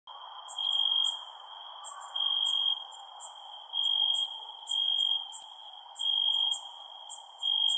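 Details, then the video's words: Crickets at night: a pure, shrill trill pulsing in half-second bursts roughly every second, with faint higher ticking chirps above and a soft steady hiss below. "Cricket Sounds @ Night"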